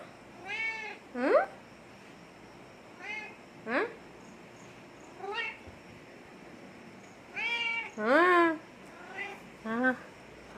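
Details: Domestic cat, apart from its owner for a month, calling in a string of short, bright meows at uneven gaps, some doubled and some rising sharply, in a small indoor room.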